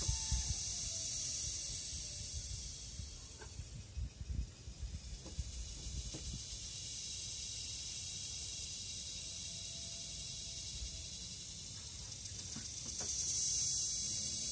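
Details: Kuliglig cicada noise from a Philippine forest: a sustained high hissing whine, dipping in the middle and surging again near the end, over low rumbling and scattered taps.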